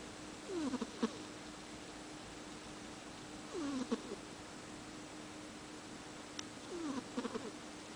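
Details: Domestic cat asleep indoors, worn out after practising catch, tongue out and snoring: soft squeaky downward-sliding breaths come about every three seconds, quiet against a steady low room hum.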